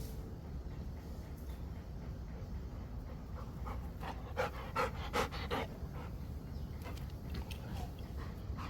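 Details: Rottweiler panting while playing at catching a ball, a steady rapid breathy rhythm with a low rumbling background and a few sharp clicks and thuds midway.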